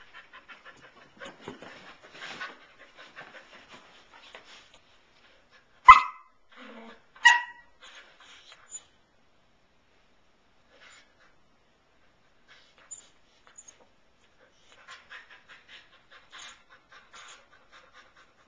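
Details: Pearl the Samoyed, a nine-month-old female resting on her beloved couch, lets out two clear barks about a second and a half apart amid long stretches of faint rustling and soft indoor noises.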